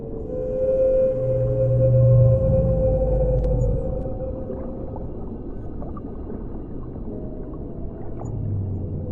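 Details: Whale song recorded underwater: a long, steady mid-pitched moan held for several seconds over deep low groans, with rumbling water noise throughout.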